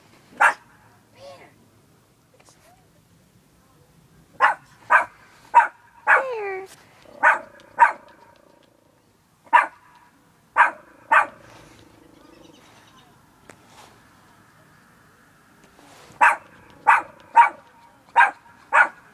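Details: Bear, a fluffy little pet dog, barking in short sharp bursts: a run of quick barks, one drawn-out whine-like yelp, pauses, then more evenly spaced barks, with a few soft spoken words between.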